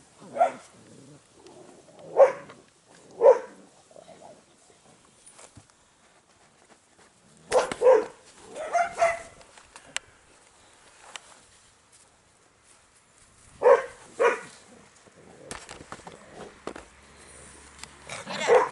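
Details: Airedale Terrier puppies from a litter on day 47 give short, yappy barks and yelps in bursts, a few spaced sharp yaps early on, a cluster in the middle, and more near the end, with quiet gaps and faint handling noise between.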